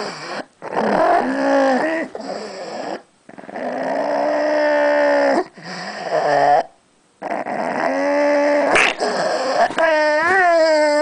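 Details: Pug, a female pet dog, guarding a bone she was given: long, loud harmonic growls lasting one to two seconds each, separated by brief silences, ending in a rising, whining tone.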